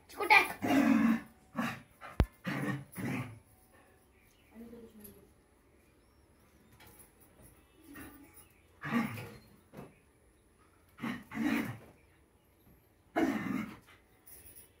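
A Rottweiler puppy gives short, rough barks and yaps in scattered bursts, with a human voice nearby.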